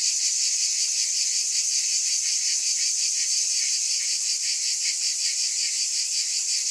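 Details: Loud, steady cicada drone, a bright high buzz with rapid rhythmic pulsing and no pauses or other sounds.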